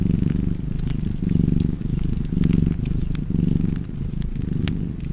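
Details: A cat purring steadily beside a fireplace, a low rumbling throb that swells and fades with each breath, about once a second, while sharp crackles and pops of burning wood sound throughout.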